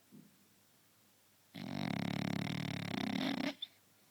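A French Bulldog gives one long, rattling snore, a rough fluttering drone lasting about two seconds.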